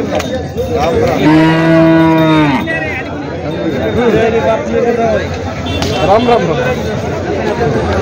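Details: Water buffalo at the Jawla buffalo market in Parbhani, mooing once in a long, steady, low, richly harmonic moo of about a second and a half that ends with a slight drop, over a constant background of crowd chatter and market noise.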